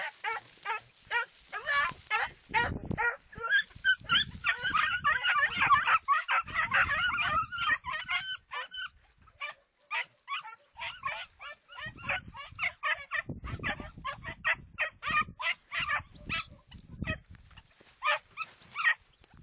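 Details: Segugio Italiano hound giving a long run of high, yelping bay notes, at first dense and overlapping, then spaced bursts, some fainter as if farther off, with low rumbling noise beneath.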